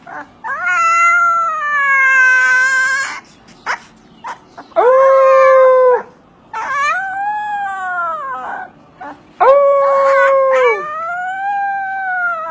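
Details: Siberian Husky giving a series of drawn-out, tonal howling calls with rich harmonics, each lasting one to two seconds with slight rises and falls, separated by short breaths and a few brief yips.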